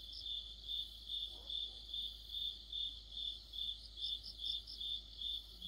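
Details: Autumn insect chorus led by crickets: a steady run of high, ringing chirps repeating about every half second, with a softer second caller layered on top and a faint low thump in the background.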